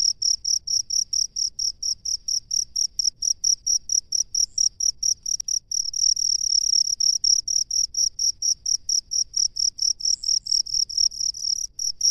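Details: High piercing chirps from a cricket in rice fields, repeated quickly and regularly, merging briefly into an unbroken trill midway before returning to distinct pulses; one sharp click interrupts.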